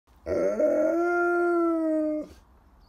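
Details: A cow gives a long, drawn-out bawl that starts rough and settles into a steady, slightly falling tone.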